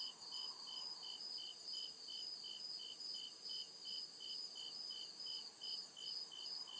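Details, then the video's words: Deep forest at night, crickets chirping in steady high pulses about twice or more per second, two bright tones stacked together, with a continuous insect hiss overhead and a brief low hum at the start. "CRICKET CHIRPING SOUND"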